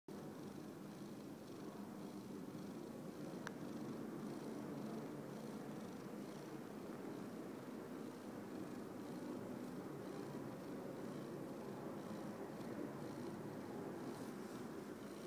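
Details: Domestic cat purring steadily indoors, a continuous low rumbling throb with even rhythm for the whole stretch, no other clear sounds.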